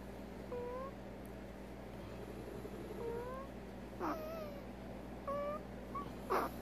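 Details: Abnormal noises from Veronica, a prairie dog with an odontoma, a dental disease: a few sparse, thin, slightly rising whine notes about a second apart. A soft scratchy rustle and a constant low hum run underneath.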